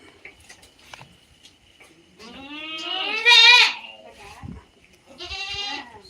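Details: Native goat (naattu vellaadu) on a farm giving a loud, wavering, harmonic bleat lasting about a second and a half, followed by a shorter second bleat; a faint steady hum and a few clicks in the background.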